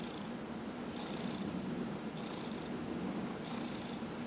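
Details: Massage session with Dillard, a 15-year-old cat: a deep, even purr continues while three slow rubbing strokes sweep across the fur.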